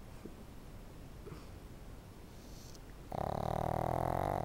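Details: Pet dog asleep indoors; about three seconds of near silence, then a single loud, rattling snore with a droning, humming quality lasting roughly a second and a half.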